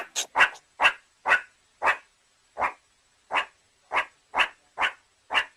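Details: Meerkat giving a rapid series of short, sharp, noisy yips, about a dozen in under six seconds at an uneven pace, against a quiet background.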